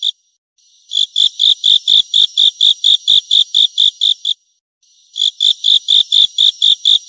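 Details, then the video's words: Grasshopper stridulating: after a short silence, about fourteen crisp, high, metallic pulses repeat evenly, then a pause of under a second before roughly nine more follow at the same rate. "เสียงตั๊กแตน Grasshopper Sound"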